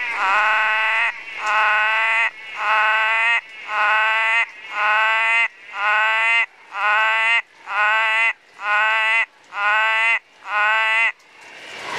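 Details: Orange-thighed frog south of Atherton in far north Queensland, giving a steady series of loud, harsh, bleating croaks, each under a second long with rich harmonics, repeated about once a second, eleven in a row.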